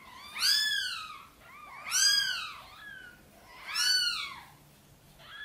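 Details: Domestic mother cat Sonny gently meowing for help to bring her tiny kittens into the nest; three strong, harmonic meows roughly every 1.7 seconds, each with a softer echoing tail.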